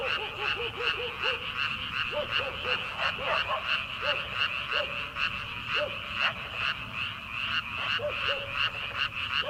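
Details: Frogs in early-summer rice paddies at night, before rice planting: a steady mass of rapid, pulsed croaking overlaid by short, bouncy, upward-hooked notes repeated in quick runs, then spaced out.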